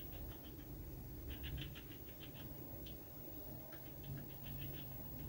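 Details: Red squirrel eating a walnut on a balcony: rapid bursts of crisp gnawing clicks in quick runs, pausing briefly between bouts, over a steady low background rumble.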